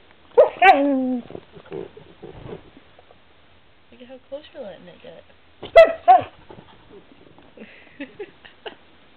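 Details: Pet dog Snow, battling the camera indoors, answers with doggy "no's": a sliding, harmonic whine near the start, quieter grumbling mutters, then a sharp yelping outburst, with a woman's voice in between.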